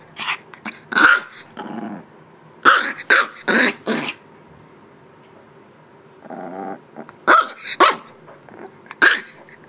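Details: Young Shiba Inu pup at eight weeks, playfully bossing its mother: bursts of high, scratchy yaps in groups of three or four, separated by pauses and a low grumbling growl.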